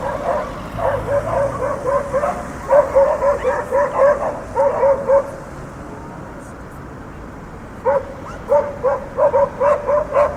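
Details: Dogs barking in a city street with traffic: runs of quick, sharp barks, about four per second, in three bursts with a short lull in the middle, over a steady low rumble of cars moving along the street.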